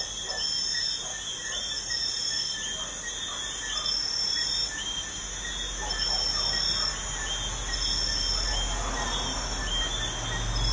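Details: Crickets chirp at night next to a busy highway, an unbroken shrill pulsing chorus over a low steady traffic rumble that grows toward the end.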